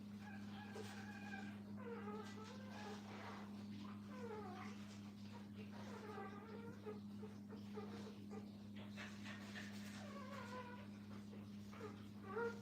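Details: Kennel puppies beside their mother whimper in a steady series of short, wavering, downward-bending cries, roughly every second or two, with a persistent electrical hum underneath.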